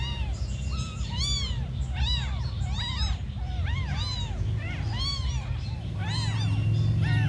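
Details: Tiny abandoned kittens mewing constantly: high, arched, squeaky calls overlapping in quick succession, several voices crying at once, over a steady low rumbling hum.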